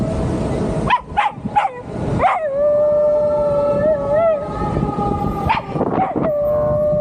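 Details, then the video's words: Dog riding along on a bike, letting out a few short yips that rise into a sustained, wavering howl, then more yips and another howl, with engine and road noise underneath and speech nearby. "Cute furkid making howling sound while riding on bike"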